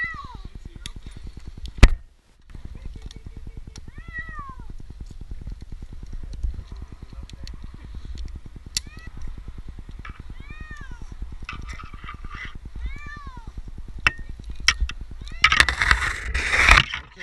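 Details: Jinx, an 8-month-old kitten stranded two nights in a tree in Newark, Ohio, meows repeatedly during his rescue: falling, arched cries spaced a few seconds apart over a steady rapid mechanical pulsing, with a man's coaxing voice and a late burst of rustling.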